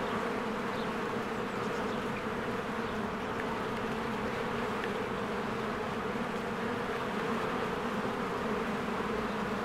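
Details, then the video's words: Swarms of bees flying to and from their hive in spring make a continuous, even hum. The buzzing drone stays level, with a few faint, thin high notes above it. "1 Hour of a Beehive ASMR"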